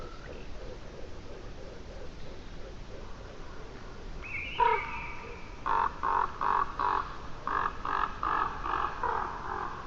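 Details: Red deer on Saaremaa, Estonia, 9 March 2025, giving a series of short, nasal, harmonic calls repeated in quick bursts.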